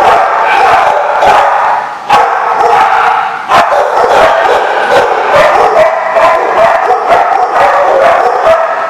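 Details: Group of dogs recorded 5/11/15 barking continuously; rapid, irregular barks overlap into a steady wall of noise, with a brief dip near two seconds before the chorus resumes just as loudly.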